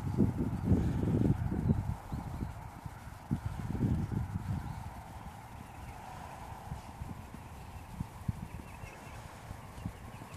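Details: Dutch Warmblood horse offered for sale, its hooves thudding in a quick run of low, dull beats during the first two seconds, then softer, scattered steps over a steady background hum.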